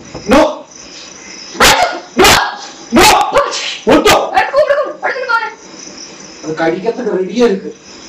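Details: Male dog caught on CCTV after sniffing out a deadly black scorpion, barking in a strange voice: loud, sharp harsh barks in a burst of four, then quicker yelping barks, with a person's voice and background hiss.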